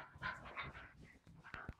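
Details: Charlie, a wire fox terrier, plays with an invisible ball indoors. A short, high, whining yelp comes first, then softer snorts and a couple of sharp knocks, followed by a woman calling the dog.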